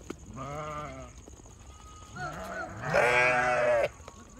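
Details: Goat kids jumping and playing in a large group, giving loud wavering bleats: one drawn-out cry, a shorter call, then a louder, harsher bleat lasting almost a second.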